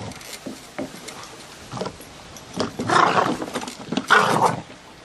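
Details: Gizmo the terrier attacking a lawnmower, growling in rough bursts that swell louder toward the end, with broad noisy snarls around the third and fourth seconds.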